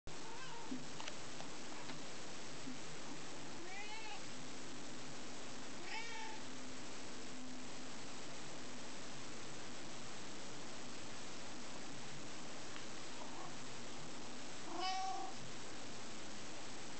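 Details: Domestic cat meowing by a window, excited because water has been turned on outside; a few short, faint meows near the start and middle and one louder at the end, over a steady low rushing background.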